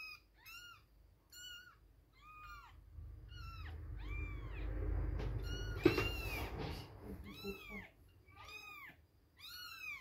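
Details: Baby kittens two weeks old crying for milk: rapid, repeated high-pitched mews with rising-falling arcs, many callers overlapping, over a low rumbling background and a sharp knock near the middle.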